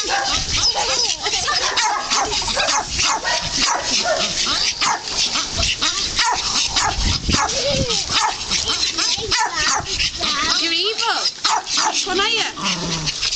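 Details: Young dogs in a rough playful tussle with a person let out continuous high, bending yelps and short whimpers, packed closely together, with human voices mixed in.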